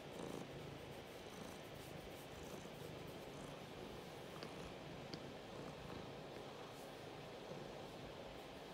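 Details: A pet cat named Biscuit purring while wanting pets and scritches right away; a continuous soft, low rumble holds steady throughout, with a couple of tiny faint clicks near the middle.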